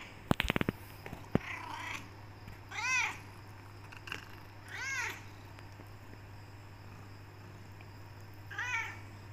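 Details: Talkative black Persian cat Becky, tortoiseshell coloured, demanding to leave the room and get food: three separate arched meows spaced a few seconds apart, with clicking handling noises at the start and a steady low hum.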